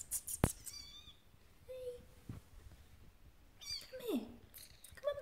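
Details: {'caption': 'Persian Siamese kittens trying to climb a step, giving scattered thin mews: a flat drawn-out note, then a quick pair of falling mews, and a final short cry, amid quiet indoor room noise and faint clicks.'}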